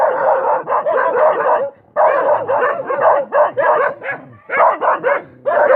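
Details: A dog barks almost without pause, hoarse yapping barks strung into long runs broken by a couple of short silences.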